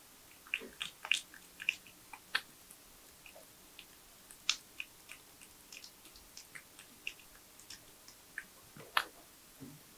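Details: Tree porcupine feeding on nuts, banana, sweet potato, apple and carrot; sharp, irregular clicky gnawing and crunching bites scattered through quiet pauses, captured at close range.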